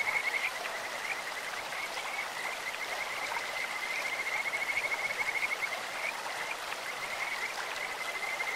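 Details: A long, rapid series of high, clear trilled notes from Kajika frogs in a clear stream runs for about six seconds, sounding bird-like, then fades into the steady rush of water.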